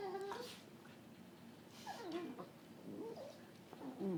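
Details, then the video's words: Cookie, a pet dog, makes odd squeaky, wavering whines and grumbles while playing with another dog named Bane, short tonal cries rising and falling in pitch, spaced irregularly over a quiet indoor background. "Weird dog noise"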